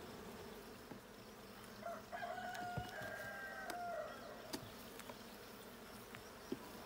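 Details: Low, steady buzzing of honey bees at the blue hive during a 20 June 2022 hive check, while a rooster crows over it for about two seconds midway, plus scattered clicks.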